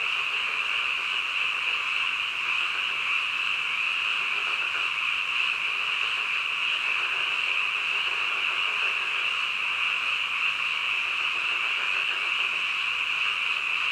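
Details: Late-night frog chorus: many croaking voices fused into one continuous, even, shrill hum that holds steady for the whole stretch, with no single call standing out.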